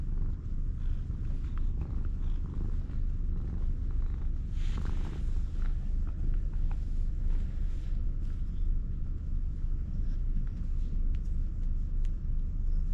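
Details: An orange tabby cat with a hoarse voice, come to be petted, purrs in a steady, deep, rumbling drone close up.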